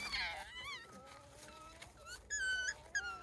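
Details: Young wild Japanese raccoon dogs, part of a family of about eight pups, in Kushiro Marshland, Hokkaido, Japan. Thin, high whimpers rise and fall, then two sharper, steadier squeals follow. Faint murmuring is heard behind them.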